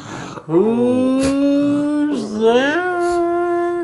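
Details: Abbey, a female Puggle going gray around the face, howls indoors: a steady, drawn-out tone held for about a second and a half, a brief dip, then a rising second howl sustained to the end.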